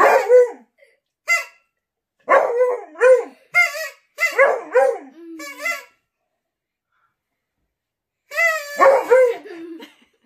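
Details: A Beagle in a noise-making 'aroo' competition with its owner howls in bursts of wavering, drawn-out 'aroo' notes that rise, then slide down.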